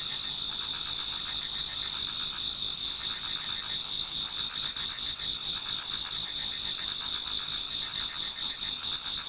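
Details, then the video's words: Towards dawn in autumn, numerous insects sing in a Japanese garden: steady high-pitched ringing trills stacked in bands, with softer rapid pulsing chirps woven through the constant chorus. "Autumn Insects voice Towards dawn"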